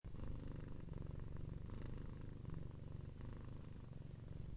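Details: Domestic cat purring: a steady low rumble with pulsed texture, continuous throughout, with faint breathy hiss bursts at intervals, likely breaths in and out.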